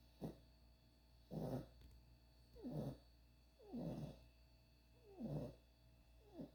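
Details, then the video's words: Sleeping puppy Ruby snores steadily: six short, husky, low snorts spaced roughly every second and a quarter, each rising quickly and fading, against a faint steady hum. "Ruby Snoring"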